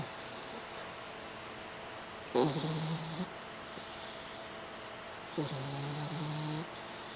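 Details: A 4-month-old French Bulldog puppy napping in its owner's lap in La Jolla, snoring quietly: two drawn-out nasal, whistling snores, each about a second long with a faint hiss above, separated by a quiet pause in a still room.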